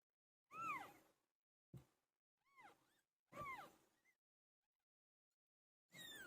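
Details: Pet cat named Pilo while giving birth: a few drawn-out, downward-curving meows with a rising start, separated by short breathy grunts and pauses, then a final harsher cry.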